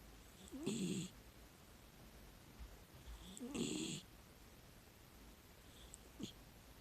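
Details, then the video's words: Female miniature dachshund, a six-year-old rescue dog, snoring in deep sleep: two long, grating snores about three seconds apart, each with a low rumble and airy hiss, then a faint breath. "寝息かイビキかわからないミニチュアダックスフンド Miniature dachshund I don't know if I'm sleeping or snoring"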